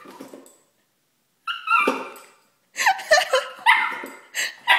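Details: A Miniature Schnauzer, about 1 year old, gives sharp, high yips and short barks in quick bursts after being startled by a box holding a hotpot that likely smelled of the previous night's dinner.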